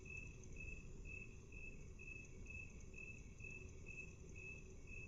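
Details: At half speed, a cricket gives regular high chirp pulses, around two per second, with a constant low rumbling background underneath.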